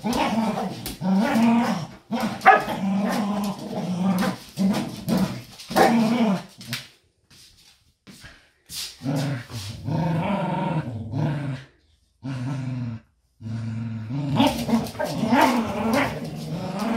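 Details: Pair of pet dogs playing indoors, trying to free a toy wrapped in an old blanket; throaty tonal growls and grumbles come in long bursts, with a pause of near silence midway before the growling resumes.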